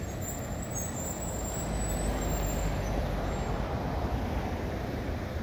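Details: Steady low rumble of road traffic and a passing heavy vehicle, with no animal voice standing out.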